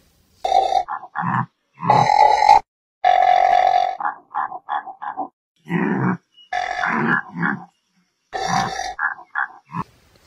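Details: Wildebeest grunting: nasal, droning grunts of varying length mixed with quick clipped ones, in irregular clusters separated by brief silences.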